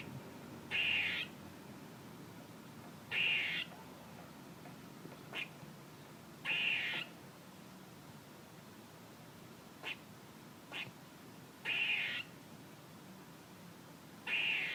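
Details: A squirrel repeats a scratchy, nasal buzz roughly every three seconds, six times, with short dry clicks scattered between the calls; otherwise quiet with soft hiss.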